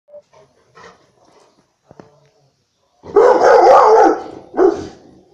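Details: A Rottweiler on guard gives a loud, harsh burst of barking after a quiet start, with one more bark following.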